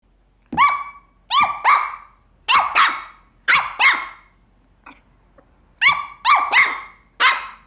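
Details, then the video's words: A Papillon puppy barks at a resident cat with high, sharp yapping barks in quick pairs and triplets. "Adorable Papillon Puppy Dog Barking"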